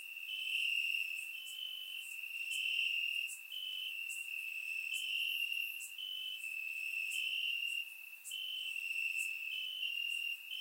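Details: Several crickets in grass during a warm summer night in Bulgaria, taken with a surround microphone, sing a constant piercing trill with regular small jumps in pitch and scattered crisp high clicks above.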